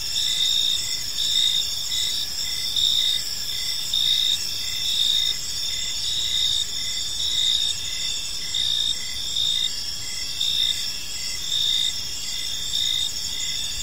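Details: A chorus of crickets fills a calm park at evening: a bright, unbroken high trill with rhythmic dashes of chirps, steady at nearly one per second, throughout.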